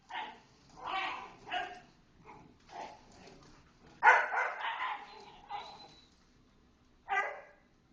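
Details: Small dogs of a little dog play group romping in the big dog play area, giving a string of short yappy barks and yips of varying loudness, several overlapping, with a louder burst near the middle and one sharp bark near the end.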